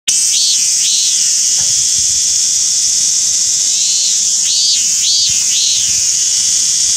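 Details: A robust cicada (Hyalessa maculaticollis, minminzemi) sings loud, arching 'meen-meen' notes over a steady high hiss of cicadas, Japan, 28 July 2021.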